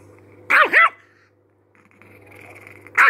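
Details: Angry chihuahua snapping out a quick double bark, two high yelping barks back to back, then a pause with a faint whine before another bark starts at the end; a low hum runs underneath.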